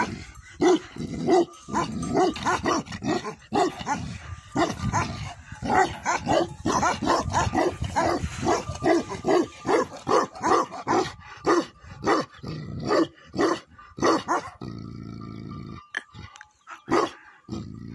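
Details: Tibetan Mastiff, locally Bhote Kukur, at a yak farm in Nepal, giving deep, forceful barks in rapid runs of about two per second, with brief pauses between bursts and a short lull near the end.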